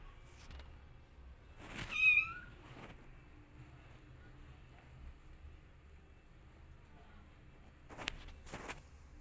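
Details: Rescue kittens playing together indoors; a single short, rising-falling mew near two seconds in a mostly quiet room, with faint thumps and scuffles, and a couple of sharp knocks near the end.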